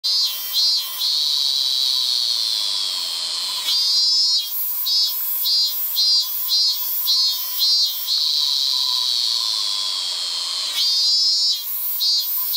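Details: Male robust cicada in late summer singing loud, buzzy pulsed phrases, each a rapid run of short beats, with bursts repeating and pausing across the recording over a steady high insect hum.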